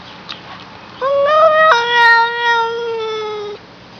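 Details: Domestic cat described as a talking cat giving one drawn-out, tonal meow of about two and a half seconds. It starts rising, jumps to a steady level partway through, then holds and slowly sinks before stopping abruptly. The background is quiet.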